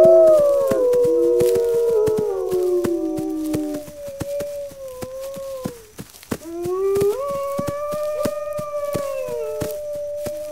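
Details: Several wolves howl together in overlapping, drawn-out tones that slide downward, then one long wavering howl rises and holds steady, with sharp irregular clicks and cracks underneath.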